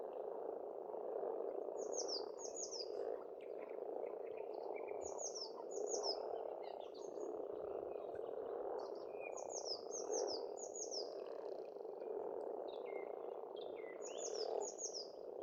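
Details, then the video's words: Spring frog chorus at an Estonian farm pond: continuous massed low croaking throughout, while a bird repeats short high descending whistled phrases in pairs, roughly every three seconds, with fainter chirps between. "Расслабляющее пение птиц и лягушек, весна, природа."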